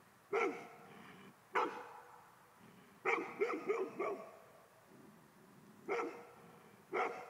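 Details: A Golden Retriever that hates ghosts barks at them in irregular bursts: about eight harsh barks, including a quick run of three or four near the middle, with low grumbling sounds in the quieter gaps.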